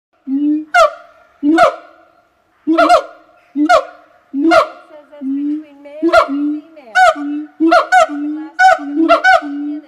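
A gibbon gives loud, harmonic hoots, each starting sharply, repeated about every second.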